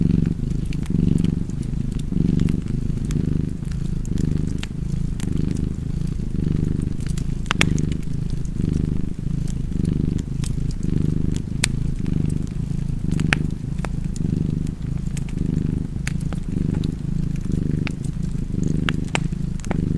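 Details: Continuous low rumbling purr of a cat with gentle rhythmic swells, accompanied throughout by the dry crackle and scattered loud pops of a burning fireplace.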